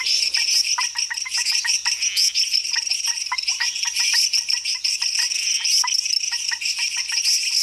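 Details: Frog chorus in Costa Rica: many short clicking notes overlap in quick, irregular succession, over a steady high, shrill hum that fills the background throughout.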